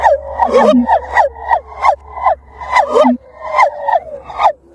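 Gibbons sing a fast series of loud, swooping whoops, each note rising then dropping, about twice a second.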